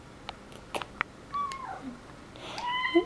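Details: Two male domestic cats asking for treats indoors, leaping up to get them: a few soft clicks and taps, then thin rising-and-falling meows with clear harmonics, a longer wavering meow near the end; a woman speaks softly.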